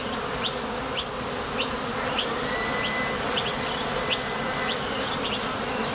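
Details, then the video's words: Foraging honey bees at a Top Bar Hive entrance produce an even, low vibrating hum. Crisp high ticks come roughly once a second, and a thin steady tone passes briefly. "Sonido de las Abejas"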